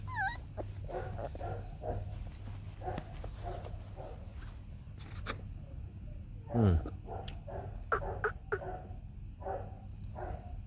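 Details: White fluffy Bac Ha puppies, a native Vietnamese breed, with their mother. The pups give high, thin whines that slide downward, a short yelp, and soft whimpers scattered throughout, while a person talks nearby.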